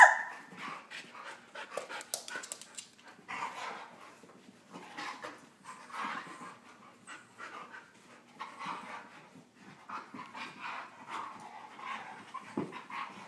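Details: Husky pup, a Husky, Chihuahua and Lab mix, wrestling playfully, making bursts of quick panting breaths and soft snorts in irregular clusters with short pauses between, plus occasional scuffling.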